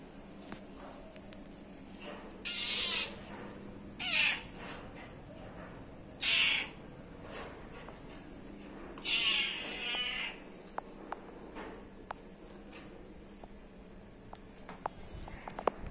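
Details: Protective mother cat grooming her kittens, with four thin, high mews in the first ten seconds, then quiet stretches broken by small clicks and taps.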